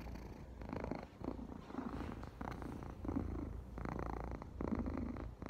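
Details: Domestic cat purring, a low continuous rumbling purr pulsing in steady breathing cycles of roughly one second each, heard close up indoors.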